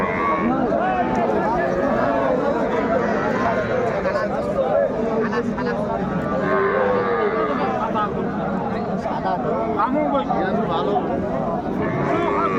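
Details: Cattle at a crowded livestock market in Bangladesh, where a heifer calf is being traded; drawn-out lowing moos surface through constant loud chatter of many people talking nearby.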